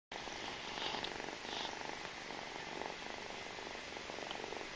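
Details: Domestic kitten suckling from its mother cat, a steady soft rhythmic purr of fine rapid pulses running throughout, with light hiss in the background.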